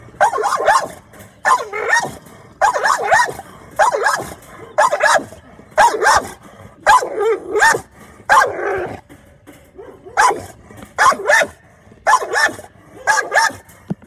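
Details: Oreo, an American Bully described as a pit bull, on guard: loud harsh barks in paired or triple bursts about every 1.3 seconds, occasional quieter gaps between volleys.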